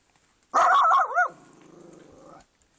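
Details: Small Shih Tzu confronting a garden gnome to guard its owner, giving a loud wavering bark that slides straight into a steady rumbling growl lasting about a second.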